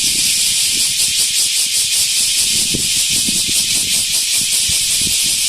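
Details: Large brown cicada at Animal Land Nakayama, recorded 10 August 2025 and called very noisy: a loud, unbroken, sizzling buzz sits high and steady throughout, with faint low thumps underneath.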